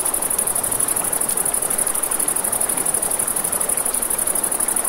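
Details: Crickets at night by a river beside a campfire, giving a steady, very high, rapidly pulsing trill that runs without a break through the whole stretch, over a broad rushing wash of flowing water and soft crackling.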